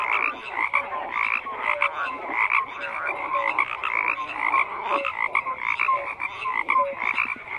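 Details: A frog chorus of steady overlapping croaks, buzzy and rattling. Short tonal peeps and brief clicks recur every second or so over a constant wash of calling.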